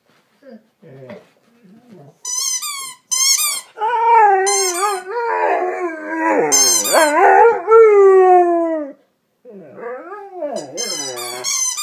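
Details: Howling from James, a dog chewing on a dog toy. Soft low whines build into high yips and a long series of wavering, sliding howls with a brief gap, ending in more rising and falling moans.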